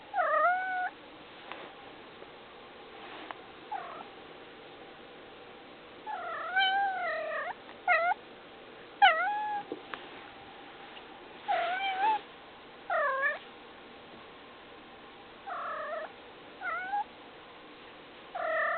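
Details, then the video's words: Domestic cat making noise, giving a long series of harmonic meows, some rising then falling, others short chirps, spaced one to two seconds apart over a steady low background hum. "the cat making noise"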